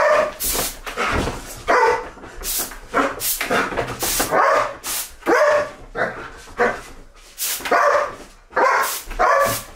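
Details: Belgian Malinois female playing a game with compressed air at home: excited, rapid barks and yips, interleaved with sharp hissing blasts of air repeated roughly every second.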